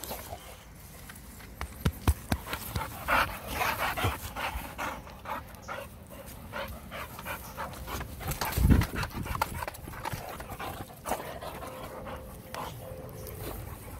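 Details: Boxer dog named Jack, playfully attacking a hand at home; irregular breathy panting in quick bursts, with scattered thumps, clicks and handling noise throughout, plus one louder low thud near the middle.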